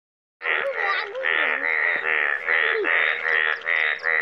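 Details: Yellow frogs in Nepal calling together: dense overlapping nasal croaks, about two or three per second, forming a steady buzzing wall of sound, with a man's voice briefly gliding over the chorus.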